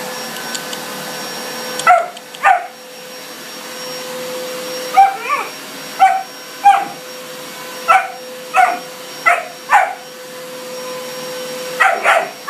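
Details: German Shepherd puppy barking like crazy at a vacuum cleaner: a long run of short, high barks, mostly in pairs, repeated every second or so against a loud continuous vacuum whine.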